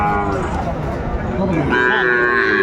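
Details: Market cattle in Faridpur on 24 December 2024, where a young Sahiwal bull calf is on sale, give overlapping lowing moos, one deep and one higher and rising near the end, amid bargaining voices and crowd noise.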